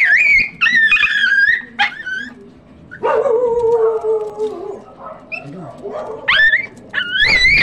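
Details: Chihuahua during a stud session giving high, tonal yelping whines in quick bursts, some rising and bending in pitch, with a lower drawn-out whine in the middle and faint human voices behind.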